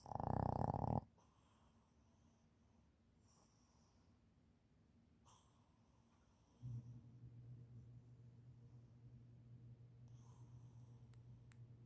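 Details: A sleeping Shih Tzu (Canis familiaris) snores with a low, steady rumbling drone after a brief loud burst at the start.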